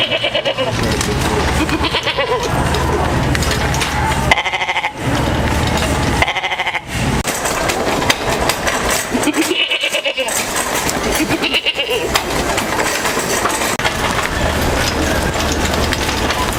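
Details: A goat in a store bleats in loud, wavering, nasal cries over a busy indoor background of people's voices.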